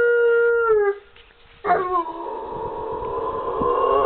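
A Rottweiler gives drawn-out, howl-like vocalizations that waver and bend in pitch, almost like talking.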